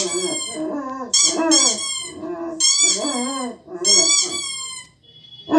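A German Shepherd howls in long, wavering, harmonic-rich notes that bend up and down.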